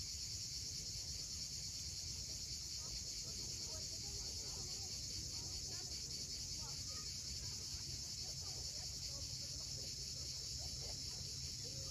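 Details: Cicadas at sunset on the steep coast at Cape Fiolent, Crimea, make a steady, unbroken high buzzing chorus, with a low rumble of waves beneath and faint scattered chirps from other birds.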